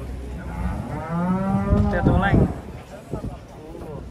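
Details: Giant cattle being unloaded from a truck at Pasar Jelok market: one low, drawn-out moo swells for about a second and a half and then breaks off, with scuffling and faint voices around it.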